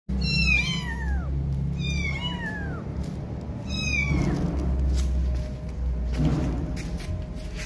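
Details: Kittens calling for their mother cat: three high, thin meows in the first five seconds, each rising briefly then sliding down in pitch, spaced about one and a half seconds apart, over a steady low background hum.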